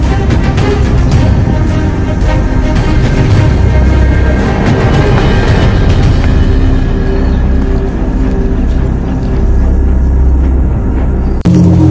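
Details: Loud, dark, rumbling dramatic music fills the whole stretch, with no animal sound.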